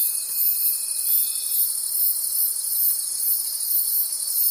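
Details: Crickets calling at night in a forest, a dense high shimmering chorus pulsing in steady waves, with a thin steady whistle-like tone in the first second and a half that then stops.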